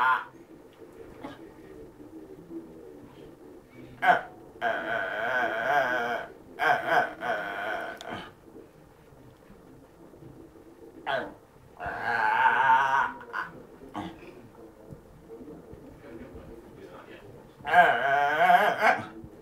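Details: A male Fox Terrier gives a series of wavering, moaning whines, "talking" to his owner because he wants to play, especially when ignored.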